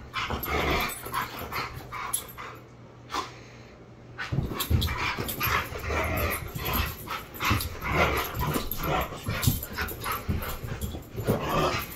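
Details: Siberian Husky puppies playing in the morning, sounding angry though it is only play; continuous rough growls, grumbles and snarls layered together, with scuffling and a brief quieter gap.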